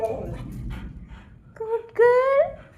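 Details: Female husky, told to sit and be a good girl before getting jackfruit, lets out a rising, harmonic whine that swells into a longer, strained howl after a woman's voice speaking in Malayalam.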